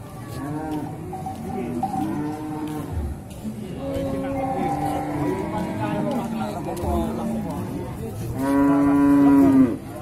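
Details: Beef bulls in the male cattle section of Singkil cattle market, Boyolali, Indonesia, on 6 July 2019; several overlapping low moos throughout, ending in one loud, long, steady bellow near the close.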